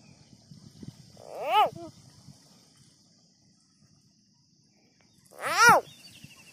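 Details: A frog that has just been caught screams twice, about four seconds apart. Each scream is a loud, harmonic-rich wail that rises and then falls, over a steady high hiss and faint low rustling.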